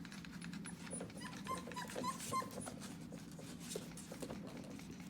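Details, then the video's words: Tiny four-week-old puppies, just having drunk their mother's milk, give faint high squeaky whimpers clustered mid-clip, over a steady low rumbling hum with scattered clicks and rustling. "TheTiny puppies are so loud"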